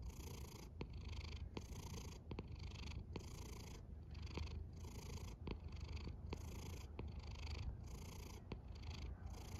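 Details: Snores from a resting cat, with repeated short airy bursts every half second or so over a steady deep rumble and occasional faint clicks, all soft and close.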